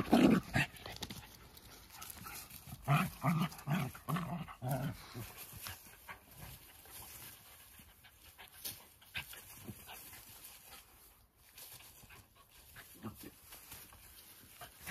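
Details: Two Jack Russell Terriers, close friends, wrestling for fun in a playful fight: a run of low, rough growling bursts over the first five seconds, then softer panting and scuffling, with brief human words at the start.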